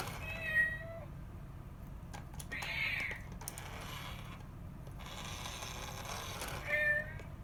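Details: Indoor rescued cats, a mother and her kitten; a short meow, then a higher, thinner wavering mew, then another meow near the end, with light tapping and room hum in the gaps.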